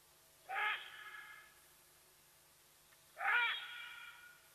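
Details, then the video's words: A side-striped jackal at Nkorho in the Sabi Sands Reserve, South Africa, whose calls reveal the leopardess Watika, heard through a live-streaming camera: a pair of breathy, rising, hoot-like yaps about 2.6 seconds apart, each followed by a fading tail. "Shush, you fool! Side Striped Jackal, giving away Watika the Leopardess's presence at Nkorho"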